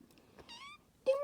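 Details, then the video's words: A kitten on a cat tree demanding attention gives a clear, bright, even meow lasting about a third of a second. A louder call starts at the very end, and a quiet room lies behind. "Meowing kittens on a cat tree"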